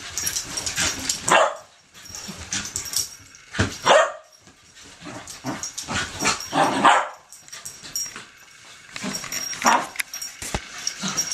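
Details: Poppy, a 10-month-old puppy, half wheaten terrier and half wire-haired fox terrier, riled up and tearing around a bed in crazy zoomies; short sharp barks burst out about four times, spaced several seconds apart, over rustling bedding.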